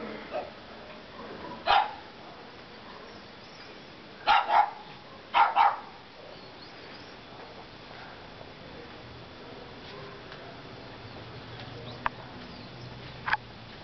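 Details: A lazy pug barking while sitting down gives short, sharp barks, first a single one and then two quick doubled pairs.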